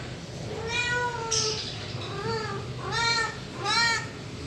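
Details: Domestic cat meowing indoors: four harmonic meows, the first long and level, the later ones shorter and arched, rising then falling in pitch, spaced about a second apart over steady low background hum.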